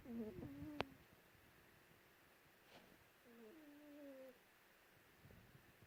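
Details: Lulu, a female pet cat asleep under a white blanket in Perth, Western Australia, snoring indoors: two drawn-out, tonal, slightly wavering breaths about three seconds apart, with a brief click between them in a quiet room.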